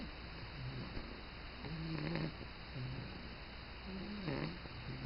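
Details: Bulldog named Georges snoring on his first morning in a new home, indoors: soft low rumbling breaths with nasal tonal whistles rising and falling, each snore lasting under a second, a quiet steady hum underneath.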